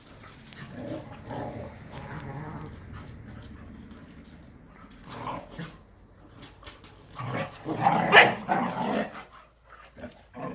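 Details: Jindo dogs Sundol, Baekho and Ttoksuni, a Korean native breed, out for exercise: loud harsh barks in uneven bursts, the strongest volley near the end, with low growling and a human voice in the background.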